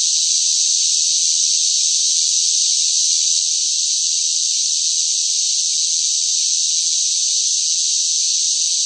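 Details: Noisy cicada song during a hot summer spell, heard as a constant, bright, sizzling whine at steady loudness without breaks, alone and with no other sounds present.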